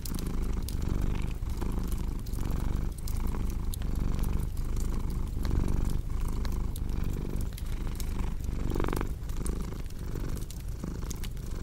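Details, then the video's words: Cat purring in a steady low drone that rises and falls with every breath, with scattered crackles and pops from a fireplace and a short louder rustle late on. "Purring Cat with Cozy Crackling Fireplace Sound"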